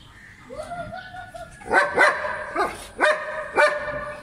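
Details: German Shepherd dog at play in Pakistan: a high, wavering whine, then five sharp barks in quick succession, roughly every half second.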